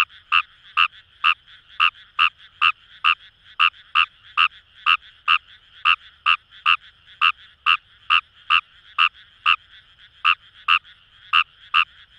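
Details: Fejervarya kawamurai calling in paddy fields along the Kamo River, Itoshima, Fukuoka, Japan: a steady series of short, harsh, pulsed croaks, roughly two per second, over a faint low chorus in the background.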